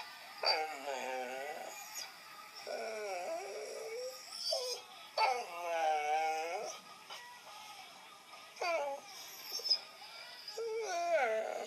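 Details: Indoor pet dog reacting to hearing a recording of himself: loud, wavering whine-like cries in long arching phrases, several in a row separated by short pauses, with a faint hiss underneath.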